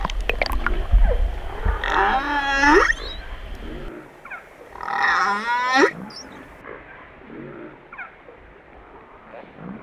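Humpback whale giving two drawn-out, wavering moans rich in overtones, separated by a few seconds of quiet.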